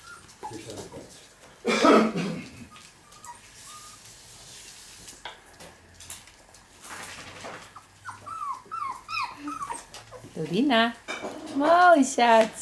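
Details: Pinscher named Lukas, from the Ettaler Mandl line, whining in short high-pitched whimpers and yips, some falling, others wavering, becoming louder and denser toward the end, after an early burst of broadband noise.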